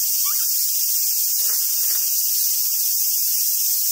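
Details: Cicadas in summer at Awajishima Monkey Center, Hyogo Prefecture, Japan, producing a steady piercing buzz, overlaid by a brief soft rising squeak early on and faint rustles.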